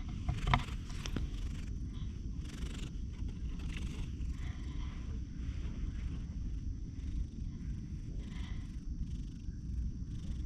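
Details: Grey and white tuxedo-patterned cat on a bench beside a pond, recorded on a GoPro while spending time with a person: low continuous purr-like rumble, with rustling and handling noises and a faint steady high tone.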